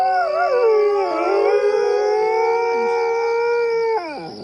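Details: Coyote howl over a steady background hiss: a wavering opening settles into a long, even, sustained note that ends in a sharp downward slide after about four seconds.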